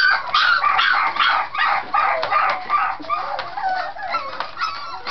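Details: Scottish Terrier puppies playing, loud and vocal in a way that sounds like fighting but is play; rapid overlapping growls and yappy squeals, rough and harsh, repeated in quick bursts throughout.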